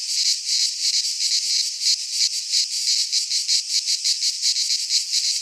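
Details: Cicadas singing in midsummer in a Greek pine forest: a dense, loud, unbroken buzzing chorus, high and hissing, pulsing in quick rapid throbs about three times a second with no other sounds.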